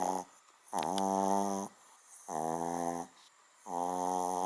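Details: Loud, droning snores from a sleeping little dog that sounds far bigger than it is; three long, even, nasal snores, each close to a second long, separated by quiet gaps.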